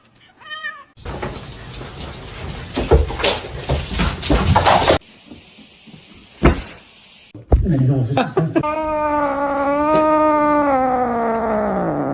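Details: Kitten giving a long, loud, drawn-out meow that rises, holds and then sags downward. It comes after a stretch of music, speech and thumping noise.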